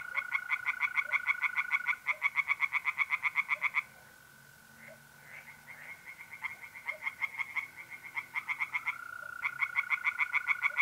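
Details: Tree frogs singing in a pond on a mid-April night in North-East Italy: rapid, evenly pulsed croaks in bursts of a few seconds, over the steady, unbroken trill of mole crickets.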